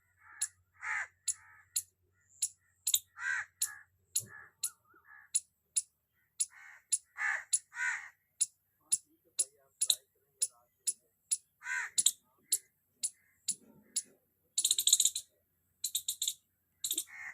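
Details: Loud squirrel chirping heard up close, a long run of sharp clicking chips, one about every half second, interleaved with harsher rasping bursts. It ends in a dense flurry of high notes.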